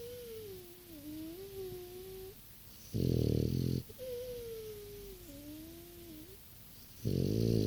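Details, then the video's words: Sleeping French Bulldog, six years old, makes long, thin whistling breaths through the nose that dip and wander in pitch, broken by two harsh, buzzing snores about four seconds apart. "French bulldog snoring"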